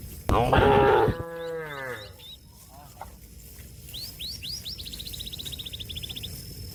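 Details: Cow lowing to call a companion grazing grass in the field: a strong, drawn-out moo falling away into a trailing tail, followed by bright bird chirps and a rapid bird trill.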